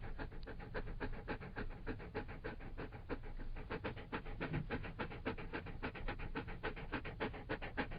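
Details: Fast rhythmic panting from a Labrador Retriever, each breath a short breathy huff repeated several times a second, even and continuous throughout with a low background rumble.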